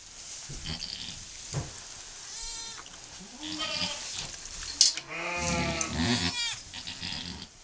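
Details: Goat giving birth to her second kid shortly after the first: several wavering, harmonic bleats of mixed pitch, the loudest near the end, over a background of hiss, rustling and small knocks.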